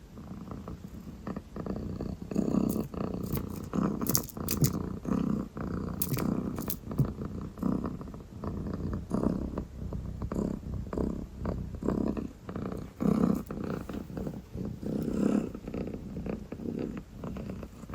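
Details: Sleepy calico kitten, purring and yawning, purrs in a low, continuous rumble that swells and eases with each breath; a few soft rustles and breathy sounds break in briefly.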